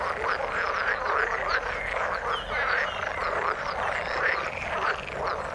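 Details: Many frogs calling in the water, overlapping croaks with rhythmic repeated chirping notes recurring about every half second through a steady background chorus.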